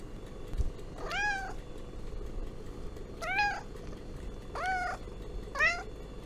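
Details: Four short, clear meows from a domestic cat, each rising then dropping, spaced roughly a second or more apart, over a steady low background hum.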